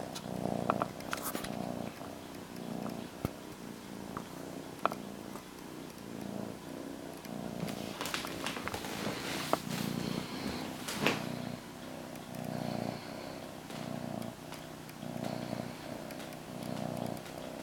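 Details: A domestic cat named Molly purring beside her blanket: a sustained low rumbling purr in regular breathing pulses, with rustling and handling noises in the middle.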